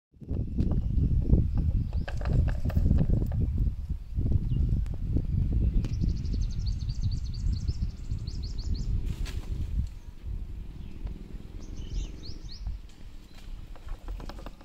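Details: A female buffalo chews regurgitated cud with steady, rhythmic, low crunching and grinding sounds.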